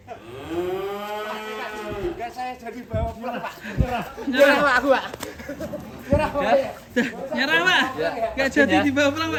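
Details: Cow at Setia Farm, Indonesia, during an escape: a drawn-out moo opens, followed by excited human voices and shouting.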